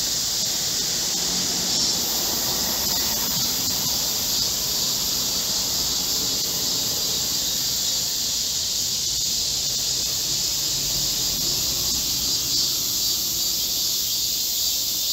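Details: Korean cicadas in full chorus in a green forest at the height of summer, heatwave, 25 July 2024: a constant, even high buzzing wall of sound lasting throughout, with some mid-range background noise below.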